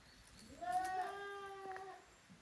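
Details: Young goats, Koharu's kids and Okayu's kids, romping in two teams in the yard of a handmade Japanese goat farm on 13 June 2023. A single drawn-out bleat that rises at the start and then holds steady, over a quiet, faintly noisy background.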